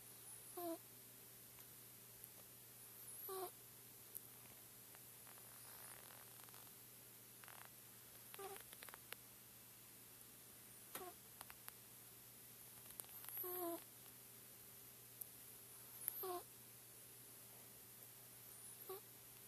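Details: Aatan, a four-month-old Chinchilla Silver Persian kitten, asleep indoors, breathing with soft, faintly whistled snore-like puffs about every two to three seconds, quiet and fairly regular over a steady low electrical hum.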